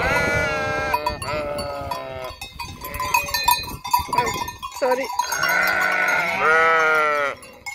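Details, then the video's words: Herd of sheep at the empty Hotel Fürigen, a few wavering bleats at start and end with clattering and a brief voice-like murmur between them. "Blökende Schafherde"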